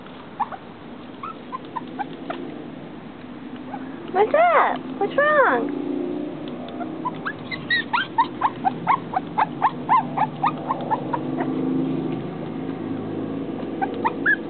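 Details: Female dog upset that she cannot get through glass, giving scattered high whines and a few drawn-out arching whimpers midway, while a person talks to her softly and music plays.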